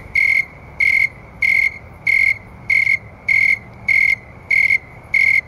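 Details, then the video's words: Snowy tree crickets sing steady, pure-toned trilled chirps a little under twice per second. Recorded around 9 PM on an August 2011 night at about 70°F; they sing faster when warmer and slower when cooler. "Cricket Sound and Video (Snowy Tree Crickets)"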